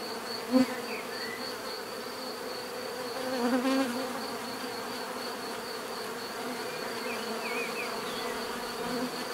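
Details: A continuous bee drone, with one bee passing close early on as a brief loud buzz and another louder swell near four seconds, plus faint distant chirps in the background.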